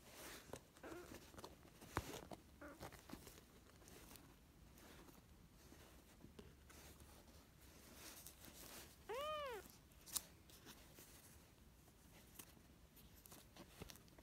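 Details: Small tortoiseshell kitten, one of a pair of foster kitten sisters left from spring 2017, gives one short arched meow, bright and falling at the end, amid indoor rustling and patter.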